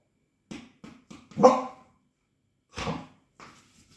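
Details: Cardigan Welsh Corgi indoors on 3 November 2022, inviting someone to play with a ball: three short clipped yaps, then a louder bark, a pause, another bark and a fainter yap; otherwise quiet room.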